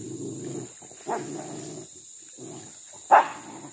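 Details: Village dogs hunting crop-raiding monkeys in trees and along a riverbank as a pack; two separate abrupt barks, the second louder, about two seconds apart, with a constant low hum behind.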